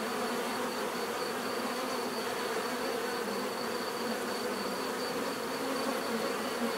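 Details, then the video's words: Bees in nature give a steady, dense hum of many overlapping buzzing wings, broadband and unbroken, with a faint thin high tone running throughout. "bees therapy relaxing natural buzzing sound"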